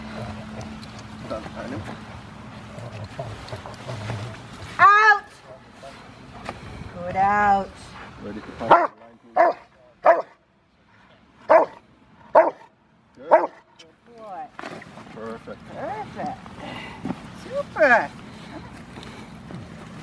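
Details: River v Schwarzerwald, a five-year-old male Rottweiler in bite work on January 20, 2020, preparing for his ZTP trial. A couple of harmonic barks, then a quick run of short barks during a quiet gap, with a handler's voice before and after.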